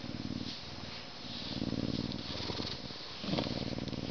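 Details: Captive male Canada lynx, an educational ambassador born at a zoo in May 2011, enjoying a scratch before eating; close, rhythmic low purring in long rumbling stretches, swelling slightly near the end.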